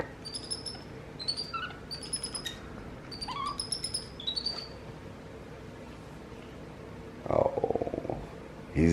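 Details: Capuchin monkeys MonkeyBoo and baby brother MonkeyHappy, household pets, chatter to each other in a string of sharp high whistles and short chirps over about four seconds, then a woman's voice speaking.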